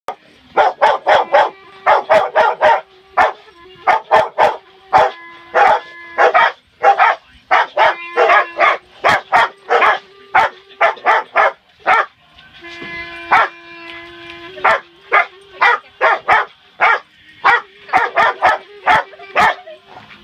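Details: Pet Rottweiler Bella, with Penny, singing along as a child practises clarinet: short, harmonic yowling barks in quick irregular bursts over a sustained clarinet note, with brief pauses and a louder run of bursts near the end.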